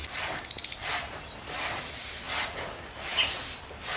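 A squirrel gives a quick run of five very high, sharp chirps, then falls quiet.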